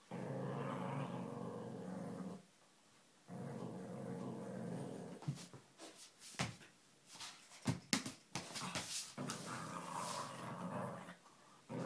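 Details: Lhasa Apso dog playing indoors, giving a long low rumbling growl lasting about two seconds, a short pause, then another growl, followed by scattered thumps, clicks and rustling from the play.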